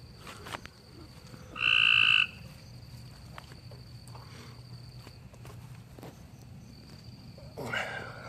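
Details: A frog out in a yard after dark, calling while the lights stay off and quitting when one is switched on; a single short, buzzy trill of about half a second, then quiet low hum and a brief rustling noise near the end.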